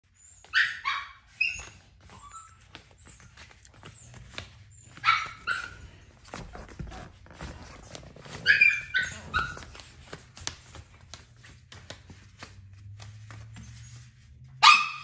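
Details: Seven-month-old deer head Chihuahua trying on dog boots for the first time; several short, high, sharp barks and yelps come in bursts at irregular intervals, with clicking and shuffling noises between them.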